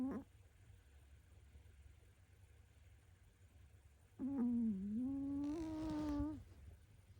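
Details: Pomeranian named Lund, a young female, asleep next to the owner's bed and snoring loudly. A brief low hum is cut off at the start. Later a long droning tone dips, then rises and holds for about two seconds, with quiet room noise.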